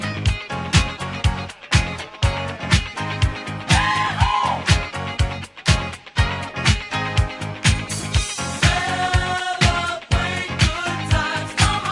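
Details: Upbeat funk music with a steady driving beat and sung vocals fills the whole stretch.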